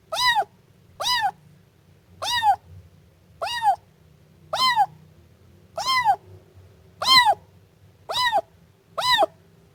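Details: Siamese kitten mewing insistently, nine short arched cries at a steady pace of nearly one per second, with a soft low hum in the background.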